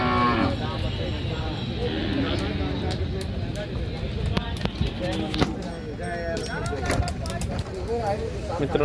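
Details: At the Kashti bullock market, a short, falling bovine bellow sounds at the very start. Bustling crowd noise, scattered voices and clatter from the market fill the rest.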